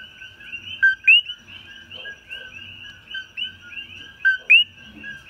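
A coqui frog gives its loud two-note 'co-qui', a short low note followed by a sharp rising whistle.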